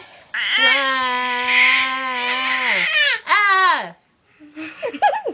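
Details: A baby babbles and cries in long voiced vocalizations with strong harmonics, a sustained cry followed by a shorter falling wail, then quieter broken babbling, indoors in a small room.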